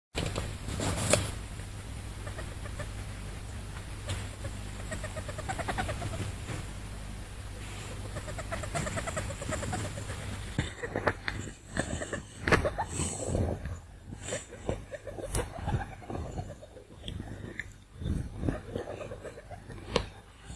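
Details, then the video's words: Peach, a female pet rat, making nook-nook noises first taken as excitement but later linked to worsening breathing trouble; soft irregular clicks and snuffling pulses over a low steady hum, growing denser and sharper in the second half. "Rat makes cute noises"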